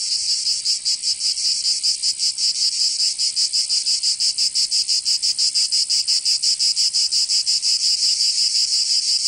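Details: Cicadas of southern France's Provence in summer: a relentless high buzzing chorus, beating in fast even pulses, nearly three a second, without pause.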